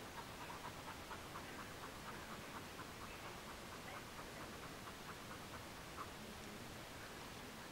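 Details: Border Collie Mona panting indoors in a cool living room after a long trip on a hot, sticky summer day: soft, rhythmic huffs around two per second, steady and breathy over a faint background hiss.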